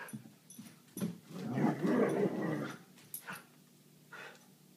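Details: Vizsla growling during play with a toy indoors, one sustained rough growl of about a second and a half in the middle, framed by small clicks and soft knocks.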